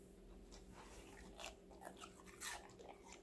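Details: A five-month-old female Golden Retriever, Connie, munches vegetables indoors; softer, muffled chewing with a few brighter crunches around the middle and end, set against a low continuous hum.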